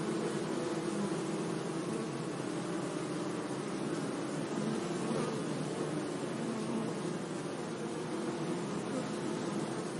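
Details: Bees humming among meadow flowers on a sunny day, a continuous low drone of several overlapping buzzes holding steady for ten seconds over a light broadband hiss.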